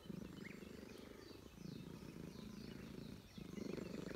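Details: Stern-faced stray Russian Blue cat in a park purring while being petted, glad at a reunion; low rumbling purr in long pulsing stretches with a short break near three seconds, faint bird chirps above.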